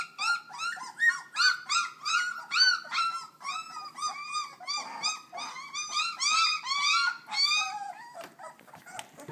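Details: Litter of puppies under three weeks old making a lot of noise: continuous chorus of high, harmonic-rich whines and yelps, about two or three per second, several pups overlapping, ending with scattered clicks.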